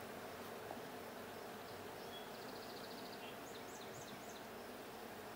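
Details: Honey bees during a check of the blue hive on 20 June 2022: a steady, dense droning hum fills the whole clip, with faint high chirping trills of small birds in the background.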